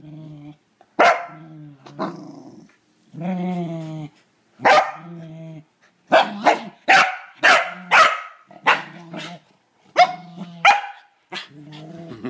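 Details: Pet Corgi Kevin Bacon confronting a toilet bowl brush: low, sustained harmonic growls alternate with loud, crisp barks, building to a quick string of barks in the second half, with growling rumbling between them.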